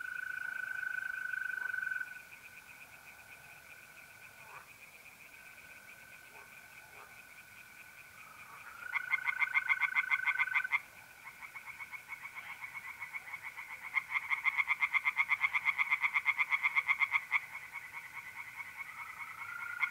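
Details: Tree frogs singing in a pond on an April night in north-eastern Italy, giving bursts of rapid, pulsed croaks, loud around the middle and again near the end, over a steady high, continuous trill of mole crickets.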